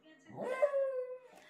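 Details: Ten-year-old senior West Highland White Terrier "talking" while enjoying a belly rub: a drawn-out, tonal whining vocalization holding steady with clear harmonics, ending in a short breathy fall, with background music.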